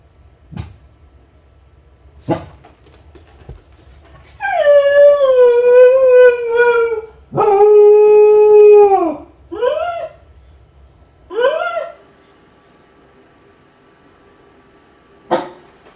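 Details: Kai Ken named Ichi, lonely while left home alone, howling from a high spot as if calling its family to come back soon; two long, sustained, wolf-like howls slowly falling at the end, then shorter rising-falling yelping cries, with a few faint knocks.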